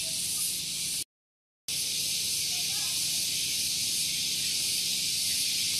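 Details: Shrill cicada buzz heard on a morning in Gunung Geulis, Bogor, West Java, beside a vehicle parking area; steady high hiss cut by a brief dead silence near the first second, then resuming unchanged, with faint low rumble beneath.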